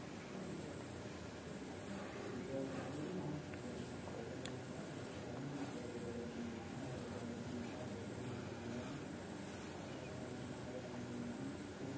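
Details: Low indoor hiss and soft rustling with a faint steady hum and a single light click, with no clear animal voice.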